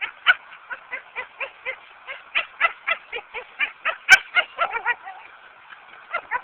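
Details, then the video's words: Lucy, a pet dog, frustrated while trying to fetch a brick she cannot carry back, recorded on a Samsung A900m phone: quick strained yelping whines, roughly four bursts a second, with one sharp click partway through. "Dog tries to fetch a brick makes strange noises"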